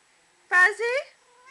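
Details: Fuzzy, a female pet kitten, talking back to her owner indoors: a loud two-part meow, a bright first note running into a second rising, drawn-out one. Soft human speech is heard just around it.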